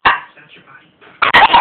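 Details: A Shih Tzu puppy tries to intimidate a person, giving a short sharp yap at the start and then a quick burst of high, harmonic yaps near the end, with quieter murmuring between.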